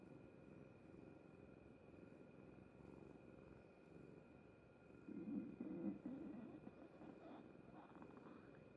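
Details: Gurgling from a cat's belly, quiet and rumbling at first, then a louder bubbling burst about halfway through that fades into scattered soft gurgles over a constant background hum.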